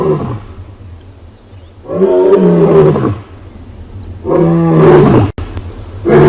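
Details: Huge male lion in South Africa roaring after scent marking, as guinea fowl flee cackling in alarm; three long, deep, moaning roars, each swelling and falling over about a second, separated by quieter pauses.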